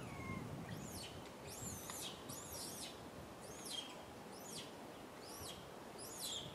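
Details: Rain, a little monkey crying sadly on a tree for milk from mama Rany, gives shrill, bending wails in a steady chain, each swooping up then down, with soft outdoor noise behind.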